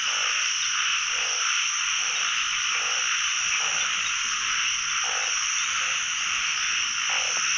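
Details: Pond full of calling narrow-mouthed frogs, heard during the first frog hunt of the year in Thailand. A thick continuous high-pitched trilling wall of sound, with lower croaks pulsing roughly every three-quarters of a second beneath it.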